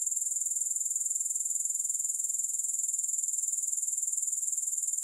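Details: Grasshoppers in a steady, high-pitched chirring trill, pulsing about four times a second without a break, no music or other sounds.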